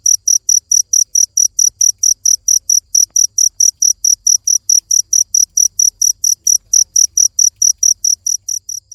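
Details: Cricket chirping steadily, a sharp high-pitched pulse repeated about four times per second with even rhythm throughout, each chirp bright and ringing with a higher overtone; no other sounds apart from a faint low rumble.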